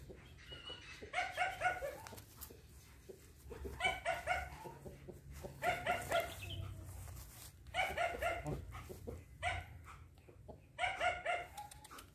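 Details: Young female German Shepherd, eleven months old, barking in short harmonic bursts, each burst a quick cluster of yelps recurring roughly every two seconds, with a low rumbling background throughout.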